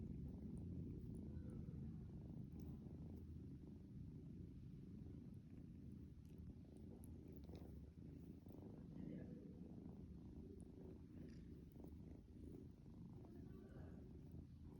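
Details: Young pet kitten waking its owner at daybreak, recorded indoors: a steady, low, throbbing purr sustained the whole time, with brief higher murmurs, possibly a quiet voice, and light rustling on top.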